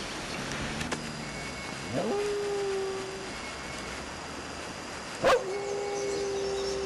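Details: A dog howls in long, steady tones, each sliding up and holding level for over a second, set off by a parrot screaming indoors; the parrot's high-pitched notes are faint in the background, with a sharp human-like shout between howls.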